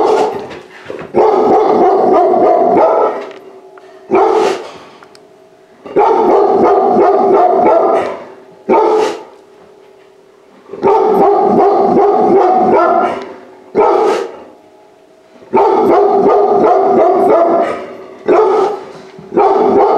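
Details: Rescue puppy of an active large breed, first time indoors after being saved from euthanasia, barking repeatedly in long rapid volleys about every four seconds, with single sharp yelps between volleys.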